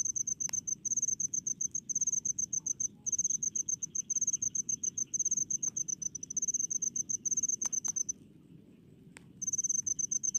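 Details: Rice-field cricket chirping steadily in quick high pulsed bursts, breaking off for about a second near the end before starting again, a quieter insect background and a few sharp clicks behind it.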